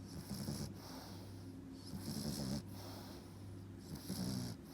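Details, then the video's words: Four-and-a-half-month-old French Bulldog puppy asleep and snoring, making three rasping, rattly inhales with breathy whooshes between them against a faint electrical hum. "Так храпит щенок французского бульдога"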